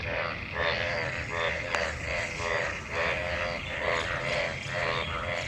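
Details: Many frogs gathered in rainwater after monsoon rain, calling while mating: overlapping, rough, pulsed croaks with buzzy harmonics, rising and falling in loudness about once a second, forming a dense continuous chorus.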